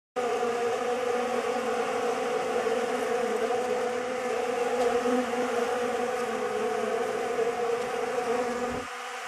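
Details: Honey bees swarming over a homemade pollen substitute, their dense droning buzz steady and continuous with layered hum bands, ending abruptly near the close as the sound drops away.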